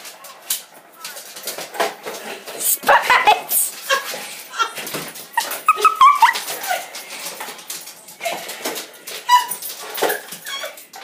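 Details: Pet dog worked up with excitement over a cat toy indoors in a small room, giving high, thin whimpers and whines in short bursts, with a person talking and laughing over it.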